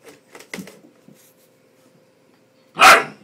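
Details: Ten-week-old Bull Terrier puppy, which dislikes the hairdryer, gives one sharp, loud bark after a few soft snuffles over a steady mechanical hum.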